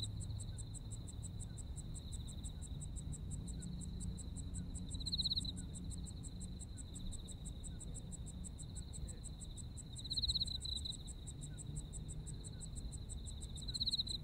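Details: In Japan during autumn, insects keep up an unbroken high trill with evenly pulsed chirping overhead, brief louder bursts recurring roughly every five seconds, and low rumbling noise beneath.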